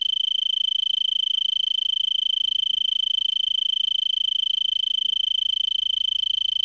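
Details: An Arizona tree cricket in a brittlebush in Vail, Pima County, Arizona, at 3300 ft, about 70°F, around 5 PM on December 26, 2022, gives a steady, high, pulsing trill. It had been singing for about an hour before sunset.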